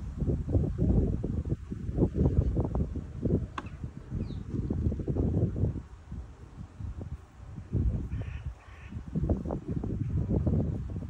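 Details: Red deer stags roaring during the rutting season in Bushy Park, a first line of defence to deter rivals; deep, low guttural roars in repeated bursts, pausing briefly around six seconds, with faint bird calls in the background.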